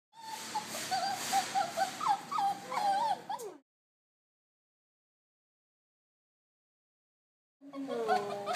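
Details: Three-year-old male English Pointer in a Los Angeles shelter after being hit by a car, sad and lonely: high wavering whimpers and whines in a rapid run for three seconds, silence, then more whining, a person speaking softly.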